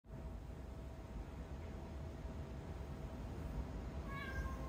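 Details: A female domestic cat, said to meow only when her owner is busy, gives one short, rising-then-level meow near the end after a long stretch of low room hum.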